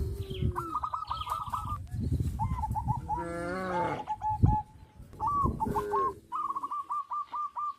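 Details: Cow on a traditional village farm giving a drawn, rising moo mid-clip, framed by rapid repeated high chirping from birds and a low rumbling background.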